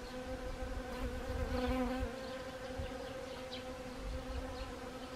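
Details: Autumn honeybees among Siberian chrysanthemum blooms in Gangwon Province, Korea, on 1 October 2020, giving a continuous even hum with stacked tonal harmonics that swells briefly, then holds steady.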